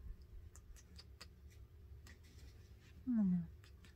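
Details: Gracie, a female Yorkshire Terrier puppy kept as a pet, being coaxed indoors to give kisses, lets out one short, loud whine that slides downward in pitch, preceded by quiet room noise and faint clicks.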